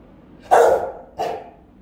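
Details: A pair of round, booming barks about half a second apart, a house-guarding Rottweiler recorded on camera.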